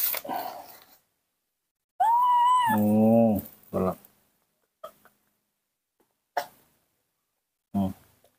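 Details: A baby monkey that has just been bottle-fed milk cries for its missing mother with a pure, high whistled note that arches up and then drops away. Short bursts of sound and a person's quiet voice come between the cries.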